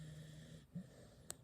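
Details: A sleeping corgi snores with a low, steady buzzing rumble, followed by a short snort.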